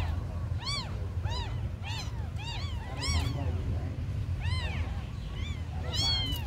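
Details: Abandoned kittens giving distinct, evenly spaced arched meows, about one every half second to second, each a clear rising-then-falling cry, heard over a low droning background noise.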